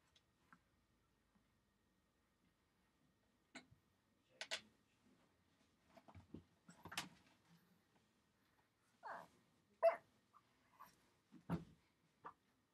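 A Shih Tzu puppy gives soft, scattered grunts and snuffles with brief yips between them.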